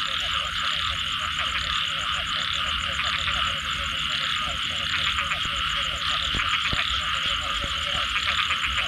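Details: Frogs heard after rainfall, a continuous chorus of quick repeated croaks and clicks layered over a steady high-pitched insect buzz, with occasional sharp ticking notes.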